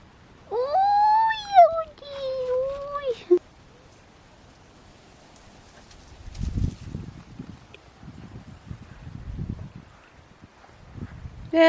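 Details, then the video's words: Budi, a pet West Highland White Terrier, 'talking' while chatting with his owner: a long, wavering, howl-like whine sliding up and down in two drawn-out phrases, followed by quiet soft Danish speech and rustling. "Another chat with my talking dog"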